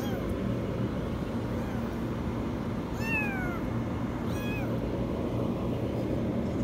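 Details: Kitten stuck in a washing machine gives two high, drawn-out meows that slide downward, about a second apart, over a steady low mechanical hum.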